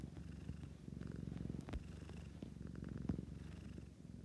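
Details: Close, loud purring from a domestic cat: a rich low rumble pulsing with its breathing, steady throughout, with a couple of faint clicks.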